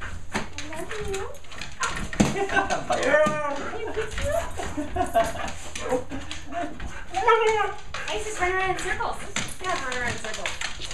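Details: Siberian Husky, one of two excited huskies greeting owners home from vacation indoors while being egged on; arched, wavering woo-woo vocal phrases alternate with human speech throughout.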